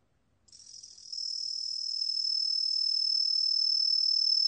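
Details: A green tree cricket (Truljalia hibinonis) sings a steady, high, ringing trill that swells slightly louder and holds unbroken.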